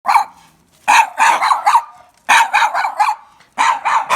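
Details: Many Mame Shiba puppies at a place in Kumamoto that keeps lots of Mame Shiba, yapping in sharp, high barks that come in quick bursts of three or four, with short quiet gaps between the bursts.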